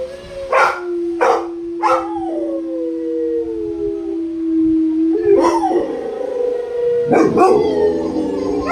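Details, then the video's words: Howling Rottweilers: a steady low howl held for about four seconds, opened by three sharp yips, then louder rising howls mixed with short barks. "howling rottweilers"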